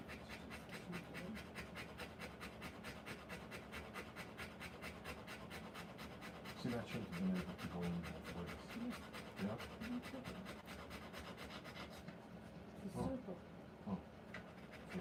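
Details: A Rottweiler in labour, delivering puppies, pants in a fast, even rhythm of short breathy puffs for the first seconds; people then talk quietly over the continuing panting.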